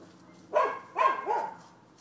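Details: Two quick, loud barks from a neighbor's dog, the second trailing into a brief drawn-out yelp, recorded 12/7/15 amid a long stretch of nuisance barking.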